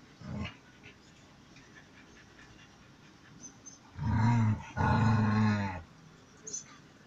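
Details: Dobbie, a male dog trying his luck with Emjay, a female in heat, gives two long, low, moaning growls with a strong harmonic tone, each lasting about a second. A shorter burst comes earlier.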